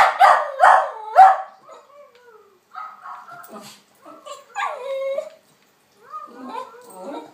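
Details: Snowy, a West Highland White Terrier, barking at a recording of herself: three loud, sharp barks in quick succession open the clip, followed by softer, wavering whines and yelps in broken bursts.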